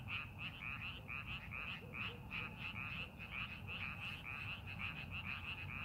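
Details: Frog chorus from farmland rice paddies before the planting season: rapid bright croaking notes repeated without pause by several animals, steady over low background rumble.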